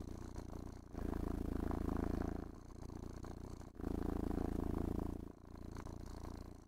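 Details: Contented cat being groomed and caressed, purring continuously; a low throbbing rumble rising and falling in roughly two-second breath cycles, with a faint higher hiss between phases.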